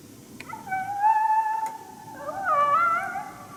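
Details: Wild coyote heard but unseen during a coyote hunt at St-Andrews on 1 March 2019, giving a challenge bark, unhappy at the hunter's presence: a drawn-out, steady tonal howl, then a second rising, wavering note, in quiet surroundings.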